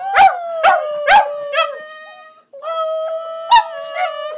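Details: Border Terriers howling while singing along with their owner at home; sustained tonal howls near one pitch, punctuated by sharp yips roughly every half second, with a brief pause midway before the howling resumes.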